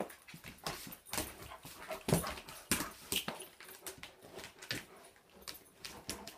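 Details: German Shepherd dog indoors at home during a mock attack, giving a rapid run of short, sharp broadband yips and scuffling noises, with louder bursts near the middle and steady rustling between them.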